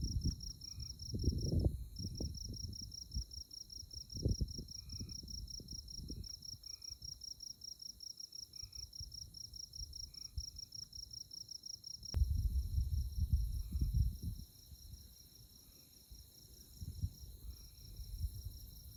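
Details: Insect chorus on a moonlit night at Konza Prairie, Kansas: an unbroken high, rapidly pulsed chirping with one short break early on, while bursts of low wind rumble come and go.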